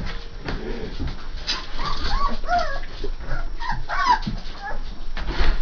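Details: Young Saint Bernard puppies, three and a half weeks old, crying in short, bending, whiny squeals clustered mid-clip, with soft background shuffling.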